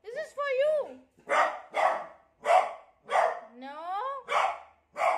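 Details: Frightened beagle reacting to a new cot: a wavering whine opens, then loud barks about every half second, broken by a rising, yelping whine midway.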